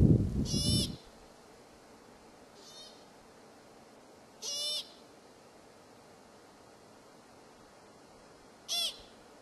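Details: Several American pikas (Ochotona princeps) call out in Kokanee Glacier Provincial Park, British Columbia, with short, nasal, squeaky bleats spaced a few seconds apart.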